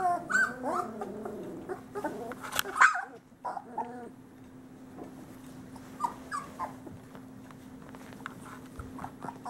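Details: Three-week-old Great Pyrenees male pups, summer 2013 litter, parents Bella and Ranger; wavering harmonic whines crowd the opening seconds, then a sharp squeal, fading to quieter scattered whimpers over a constant low hum.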